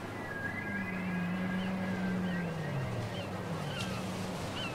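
A whale sings a long, low moan that slides gently downward, with faint higher whistles behind.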